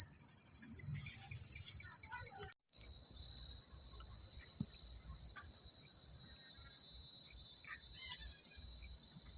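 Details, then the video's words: Night-time cricket chorus in quiet countryside, an unbroken high-pitched trill with fast rhythmic pulsing that cuts out for a split second early on, then resumes at full strength; faint low thumps beneath. "The Sound of Crickets at Night"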